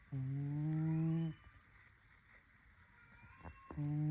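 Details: Snoring pet cat Snowy, asleep and dreaming, gives two long, low, even hums separated by a quiet pause with faint breathy noise, the second hum beginning just before the end.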